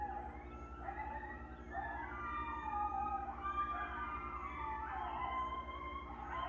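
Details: A group of coyotes passing through the area early in the morning, several voices howling together in rising and falling wavering tones, some yipping, layered over a constant low droning hum.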